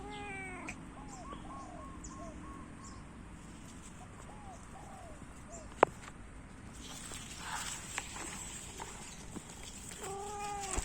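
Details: Orange domestic cat making a series of short, chirpy meows early on, then a quieter stretch with rustling and a sharp tap, ending with another harmonic meow; steady low background noise throughout.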